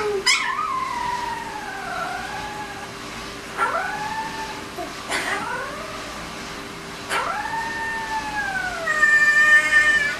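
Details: Siberian Husky howling with its owner: four drawn-out harmonic howls sliding downward after sharp onsets, roughly three seconds apart, ending with a higher steady wavering tone.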